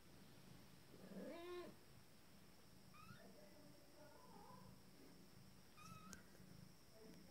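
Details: Two-week-old Abyssinian kittens learning to walk: a brief, thin, rising mew, followed by faint, scattered little squeaks over a low rumbling background.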